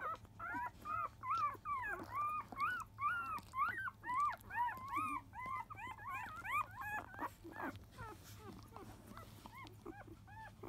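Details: Field-line Labrador Retriever puppy, five days old, around its 10 a.m. feeding from its mother biscuit; rapid series of short arched squeals, about two each second, then softer, sparser whimpers.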